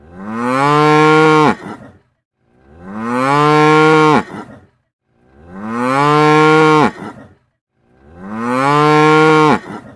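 A cow gives long, deep moos, each about a second and a half, repeated steadily.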